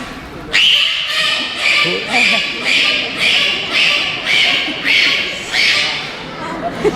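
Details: A dolphin at a Finnish dolphinarium show (Särkänniemi, 2012) gives a run of harsh, crow-like squawks about every two-thirds of a second. Its mouth stays closed because the sound comes from the blowhole on its head.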